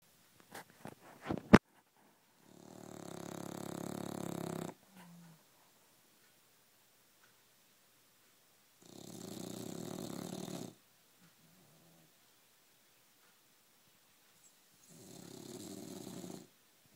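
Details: English Bulldog snoring, long raspy drawn-out breaths lasting about two seconds each, repeated roughly every six seconds with silence between, a few sharp clicks at the start.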